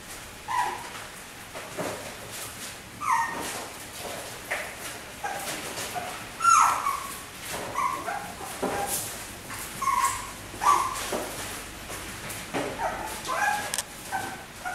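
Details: White miniature schnauzer puppies, four sisters born on 18 August, giving scattered high whimpers and short yelps every few seconds over a quiet indoor background with faint rustling.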